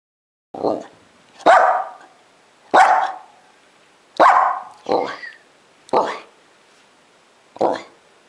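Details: Female Icelandic Sheepdog indoors, vocalizing to her owner and ending by jumping onto a lap and licking; seven short, loud yowling barks, each rising then falling, spaced about one second apart, with a person speaking softly afterward.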